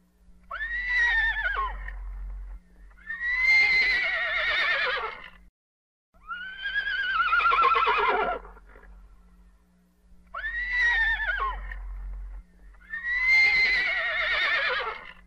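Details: Horse (Equus caballus), neigh.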